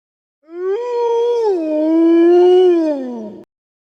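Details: Loud, close wolf howl lasting about three seconds, rising at the start, dipping, then holding a slightly wavering mid-pitched tone before ending abruptly, with no other sounds.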